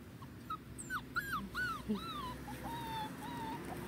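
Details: On its first outing onto grass, the Dachshund puppy Nairobi lets out rapid, arching whimpers, each rising then falling, about four per second, softening into flatter whines, with wind noise and a person's gentle voice behind.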